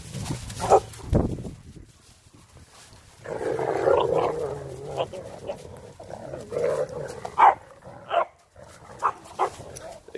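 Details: Rough play among four dogs on Thanksgiving Day 2018, Renascence Bulldogge puppies Rekkr and Magi, Blue Bay Shepherd Kurgan and German Shepherd Lobo: a sustained growl runs for several seconds, followed by a string of sharp, separate barks and yips.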